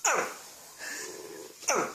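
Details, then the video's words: A dog making a funny noise: two short, falling, whining yelps, one at the start and another just before the end, with a quieter murmur between them indoors. "Hilarious Dogs Making Funny Noises"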